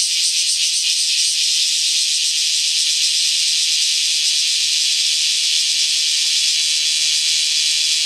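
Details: Bear cicadas in Kyoto, Japan, calling again as rain stops, noisy from early morning; a dense, steady, hissing shower of high sound with no clear breaks throughout.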